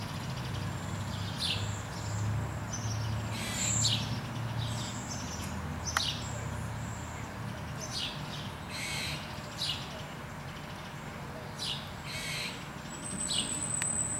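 A squirrel gives harsh, raspy barks, repeated roughly every second over a low background rumble.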